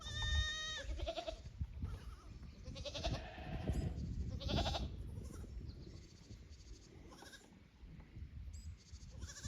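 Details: Goat kids from the lower pasture visit the upper pasture at Yoshigake goat farm on 15 May 2024, hesitant in unfamiliar ground. A loud, richly harmonic bleat opens, then quavering bleats recur near three and four-and-a-half seconds over low rumbling noise.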